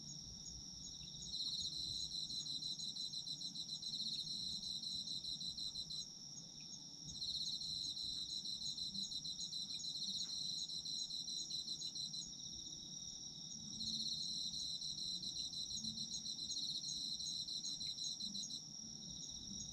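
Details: Autumn insects calling in a steady shrill drone, overlaid by three extended bouts of fast rhythmic trilling, each about five seconds long and parted by brief quieter gaps.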